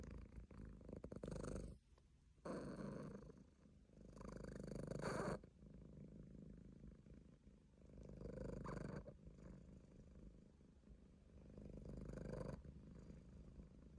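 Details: A sleeping Munchkin cat purrs deeply and steadily, a low rumbling drone rising and falling with each breath.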